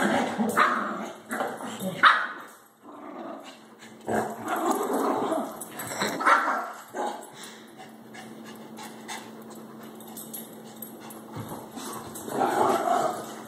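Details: Baxter the Shih Tzu and Harley the Labrador wrestle over a toy at night, giving clusters of snarling growls and abrupt barks, then a quieter stretch with faint rustling before another loud growl.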